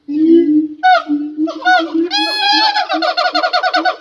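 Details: A siamang, the largest gibbon, whose throat sac amplifies its calls, sings loud, ringing hoots that break into a rapid run of repeated barking notes.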